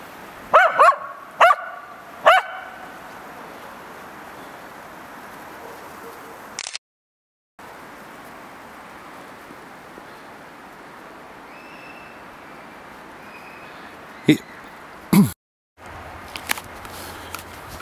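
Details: A Tibetan Terrier playing in the snow at Abetone, Italy, in March, gives four sharp barks in the first two and a half seconds, then near silence with steady background hiss and a few brief knocks.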